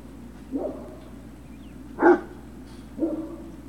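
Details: Great Dane puppy yelps from Puppy Hill, 3 June 2019: three short, spaced yips about a second apart, the middle one loudest, over a low steady hum.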